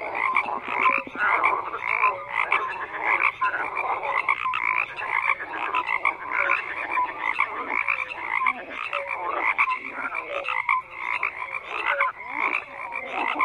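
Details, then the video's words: Frogs croak in a crowded, unbroken chorus of raspy pulsed calls, with scattered short tonal notes and constant overlapping voices throughout. "FROGS CROAKING"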